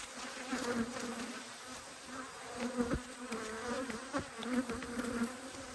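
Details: Two Australian honey bee hives, annoyed at being inspected in March 2022, fill the air with a steady, even buzz; occasional bees pass close with quick rising whines and faint knocks.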